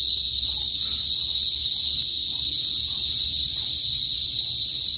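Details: Cicadas in a northern Philippine province, typically heard before sunset and singing as a mating call, fill the air with a dense, shrill, continuous electric buzz with a fainter higher whine above it.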